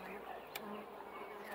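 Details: Honey bees swarming an opened hive during comb inspection, giving a continuous droning hum with a steady low tone, one sharp click partway through.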